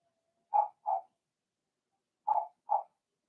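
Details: Young Blenheim Cavalier King Charles Spaniel puppies, one of six in Remy's first litter, in a home puppy pen; two pairs of short, clear, mid-pitched yips, the pairs about two seconds apart, with silence between.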